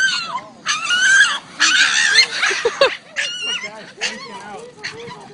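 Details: Boston Terrier screaming from excitement lets out loud, high, wavering screams in bursts, with people talking nearby.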